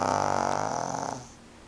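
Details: Franq, a two-year-old male pug, snores loudly indoors while watching television: one rough, buzzy, rattling snore with a low pulsing drone, fading away after about a second.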